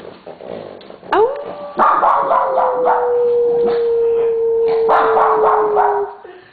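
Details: Siberian Huskies, three pet dogs named Simba, Crystal and Aspen, prompted by their owner to howl on cue; a long howl rises then slowly falls over about five seconds, overlaid by scattered barks and a human voice.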